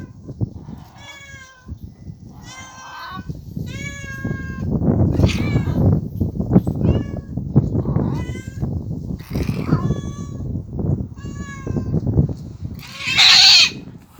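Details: Street cats fighting in someone's storage shed: drawn-out, wavering yowls come in bursts, some rising then falling, over a loud low rumbling background. A harsh, hiss-like screech comes near the end.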